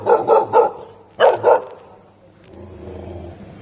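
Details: Tibetan Mastiff puppy at a pet store reacting to a new animal with an already deep bark; three quick barks, a pause, then two more, each a rich harmonic woof, followed by low background murmur.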